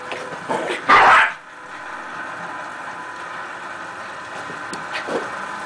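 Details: Miniature Pinscher playing at catching a red dot: a single short, loud bark near the start, followed by quiet room noise and faint distant sounds.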